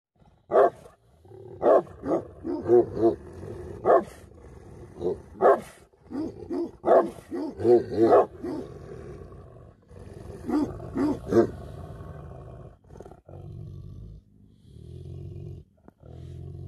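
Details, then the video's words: Angry Tibetan Mastiff, known as Bhote Kukur, barking in deep harmonic woofs, single and in quick doubles and triples, with short pauses. The barks thin out and turn softer near the end, over a low hum. "Angry dogs barking effect sound ||Tibetan Mastiff || Bhote Kukur"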